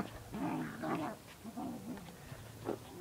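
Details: Puppies at play, a five-month-old Bichon with two Sprocker puppies aged four and ten months, give low rumbling growls in several short bursts that rise and fall in pitch, with quiet pauses between.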